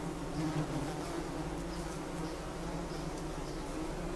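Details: Bumblebee buzz, a steady low hum that holds constant without pause, with slight swells in loudness near the start.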